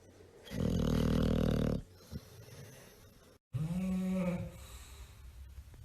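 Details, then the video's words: A tired bulldog sleeping, snoring loudly: a long rasping harmonic-rich snore over about a second, a quiet pause, then a second rising and falling nasal snore. "tierd bulldogs snoring"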